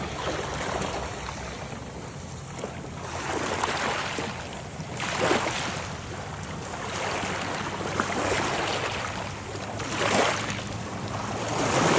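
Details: Waves wash in and out in slow surges about every few seconds, with a broad hiss of surf and wind; no animal voices.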